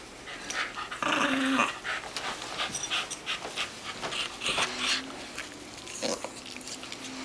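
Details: An adopted rat terrier being played with makes a rough, rumbling purr-like grumble in short bursts while a person talks nearby.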